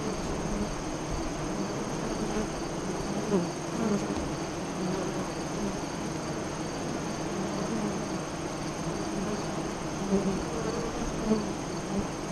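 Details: Continuous colony hum from a honey bee hive near Lyons, Nebraska, its entrance facing west, captured while the 2017 eclipse passed in the afternoon. Individual bees drift by with short, wavering buzzes every second or two.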